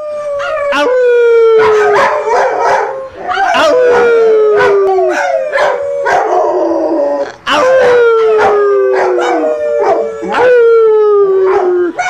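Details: Pet Golden Retriever howling for the first time: a series of long, drawn-out howls, each sliding steadily downward in pitch and separated by short pauses, with sharp clicks and taps scattered between them.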